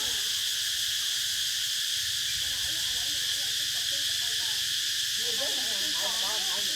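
Cicadas drone in a steady, high, hissing chorus that never lets up.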